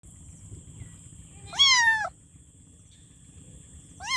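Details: Kitten meowing for its mother: one loud, rising-then-falling meow with rich harmonics lasting about half a second, followed near the end by the start of a second meow; faint low background hum between calls.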